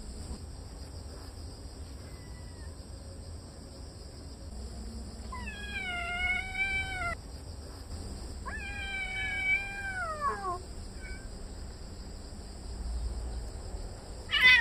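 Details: Kitten Dodo, settled into a Korean yard within a month of adoption, yowling loudly at a yellow cat it is chasing away; two long strained cries, each rising then sagging, separated by a short pause, amid faint outdoor hum.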